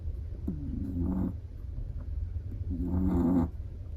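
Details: Snoring from a sleeping Chihuahua: two rattling, slightly whistling inhalations about two seconds apart, the second longer and louder, over a low steady hum.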